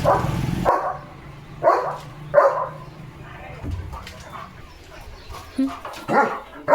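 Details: Morning guard barking from Leo the German Shepherd, watching cattle, vehicles and dogs around his village: a series of loud, gruff barks spaced about a second apart, with an engine hum and a human voice in the background.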